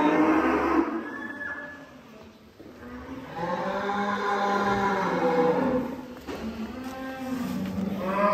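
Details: Cattle on a farm give a series of lowing moos, a short one followed by a longer, wavering call and a rising one at the end, with background music and noise.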